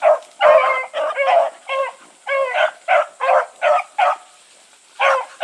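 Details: Bluetick Coonhounds and Sassy on the run, bawling in quick choppy bursts, several close together, then a short pause and two more bays; constant faint hiss in the background.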